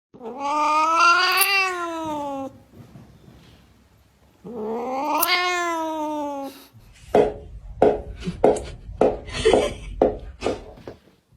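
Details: Cats going bonkers with crazy noises: two long, wailing yowls that rise then fall, each about two seconds, followed by a run of short rapid chattering bursts.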